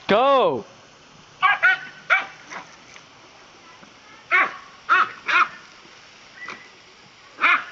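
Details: Dachshund playing with water, a burst of shrill barks and yips in quick clusters, opening with a loud wavering yelp, background hiss throughout.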